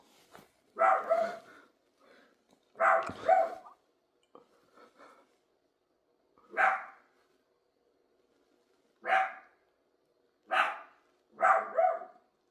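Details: Sharp, rough barks from a dog, some doubled, come in irregular groups across twelve seconds with quiet gaps between them, recorded indoors.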